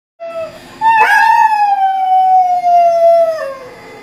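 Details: Pet Doberman encouraged to sing, howling: a short opening note, then a loud sustained tonal howl holding steady for over two seconds before sliding down at the end, rich in harmonics.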